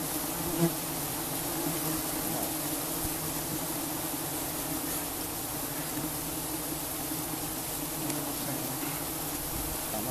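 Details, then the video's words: Giant honey bees buzzing during a honey harvest in Cambodia: a dense, steady swarm hum with layered low droning tones holding evenly throughout, with no other clear sounds. "Harvesting Honey from Giant Honeybees in Cambodia"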